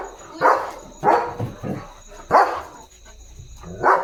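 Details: German Shepherd barking in darkness while protecting its area at night: four loud barks with a softer grunt-like bark between, irregularly spaced, over a faint steady high hum.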